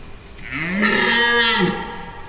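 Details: Red deer stag bellowing during the October 2023 rut, using its glands before going to lie down, with hinds and a young fawn nearby as a storm breaks; a single drawn-out harmonic roar rising then falling over about one and a half seconds.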